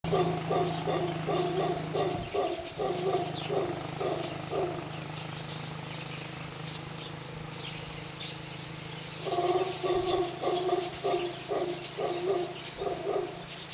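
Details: Howler monkey family that had come down the river, hanging out by the road; deep rhythmic roaring grunts in pulsed bursts, several per second, one long bout, a pause, then a second bout, with insects or birds buzzing faintly above.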